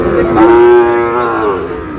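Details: Sahiwal bull calf at a cattle market in Chattogram, Bangladesh, on 2 July: one long, steady, tonal moo of about two seconds with rich harmonics, slightly falling at the end, loud over a quiet market background.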